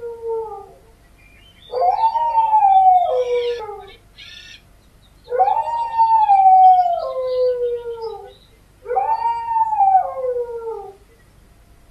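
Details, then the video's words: Dog howl recording from a compilation: three long mournful howls about every three and a half seconds, each swelling in a rising arc and sliding downward, with near silence between. "1 Hour of Dogs Howling Sound Effects"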